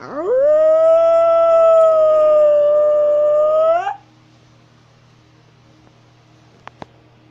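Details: Eurasian wolf howling while walking: a quick upward slide into a sustained, even howl of about three and a half seconds, ending with a slight rise, followed by quiet with a couple of faint clicks.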